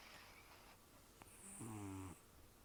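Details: Rescued domestic cat Taro, aged an estimated 10 to 14 years and nearly toothless from gum disease, snoring in his sleep indoors. One rough, droning snore lasting about half a second stands out against soft room hiss.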